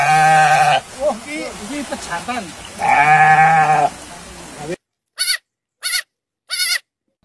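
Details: A goat in quiet mountains gives long, wavering nasal bleats, then three short bleats, with a man talking between them.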